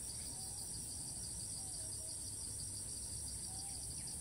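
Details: In Thailand, a cicada resumes calling right after landing: a continuous shrill buzz in two high bands, with a few soft whistled bird notes in between and a low background hum.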